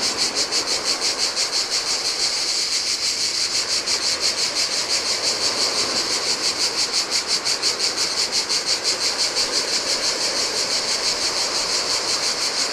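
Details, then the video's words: Cicadas singing in the heat beside the Adriatic Sea on a desolate Greek island beach: a dense, high, shimmering buzz pulsing about three times per second, steady throughout, over the soft wash of waves on sand. "Cicadas by the Sea - Ocean Waves & Cicada Sounds"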